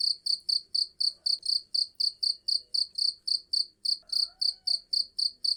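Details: High, piercing cricket chirps in an unbroken steady rhythm, about four pulses per second, offered to chase off rats and rodent pests naturally without chemicals; faint low background noise.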